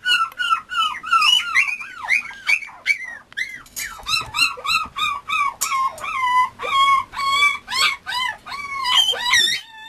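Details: Male Mame Shiba Inu puppy crying continuously: a long series of high, harmonic whines and yelps, many arching up and down in pitch, some drawn out, others clipped and rapid, with only brief gaps between them.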